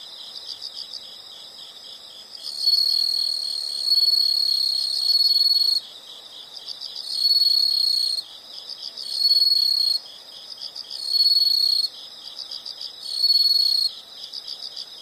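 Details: Insects calling in a natural setting. Loud, sustained, shrill buzzing trills last one to three seconds and recur about every two seconds. Between them, a softer background of rapid, pulsed chirping continues without stopping.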